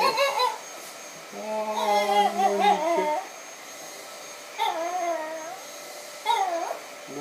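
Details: Ringo, a Chihuahua, sings: a short yelp opens, then a long, wavering, whine-like howl of steady pitch with rich overtones for about two seconds. Two shorter bending, mournful notes follow after a pause.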